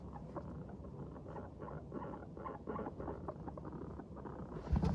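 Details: Guinea pigs in a happy mood chattering as they walk briskly along, giving soft short rhythmic 'pupupu' notes in quick clusters over a low background rumble.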